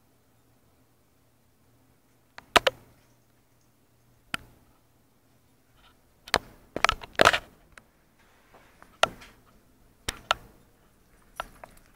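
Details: Sharp clicks and knocks break an otherwise quiet room, with no animal voice.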